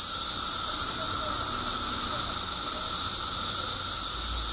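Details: Periodical cicadas by the billions in Illinois, emerging after 17 years underground: a dense, unbroken hissing drone high in pitch with a steady lower whine beneath, filling every moment without pause.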